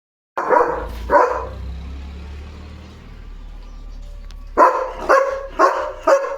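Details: German Shepherd named Leo at home, on duty at the gate alerting that animals are passing outside; two deep barks, a long quiet gap, then four more barks in quick succession near the end.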